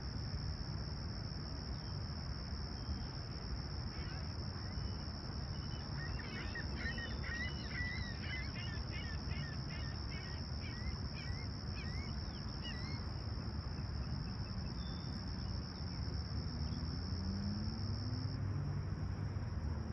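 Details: Toronto's Humber Bay Shores at sunrise, July 28, 2020, a calm clear summer morning at 20ºC. Crickets hold a steady shrill tone that cuts off near the end, overlapped early by a bird's quick repeated song phrases and constant low rumble.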